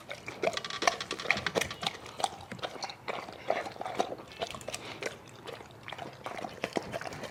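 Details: Dog eating hungrily indoors in a small room, with rapid wet smacking, lapping and crunching clicks in dense irregular bursts throughout, some brief higher squeaky notes mixed in.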